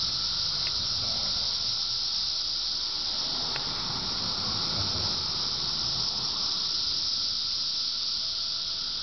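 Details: Cicadas heard daily through summer, giving a steady, unbroken high-pitched buzzing drone that stays level throughout, with a faint lower hum beneath and a couple of brief clicks.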